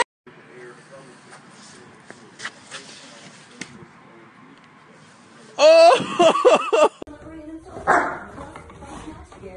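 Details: Dog in a funny pet compilation: after quiet background with faint voices, a loud burst of high wavering whines lasts about a second, followed by a shorter yelp-like cry.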